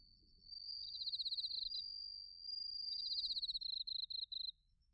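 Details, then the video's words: Bell crickets and field crickets singing in autumn at Narita, Chiba, Japan, captured with a TASCAM Portacapture X8: a sustained high ringing trill overlaps a rapid, shrill pulsed chirp that ends in short broken bursts. "秋の音 スズムシとコオロギの鳴き声 - Sounds of autumn, chirping of crickets and crickets"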